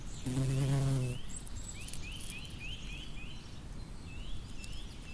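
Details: A bumblebee among flowers gives one low, humming buzz lasting under a second near the start. Soft outdoor noise follows, with a series of short, high bird chirps repeated in the background.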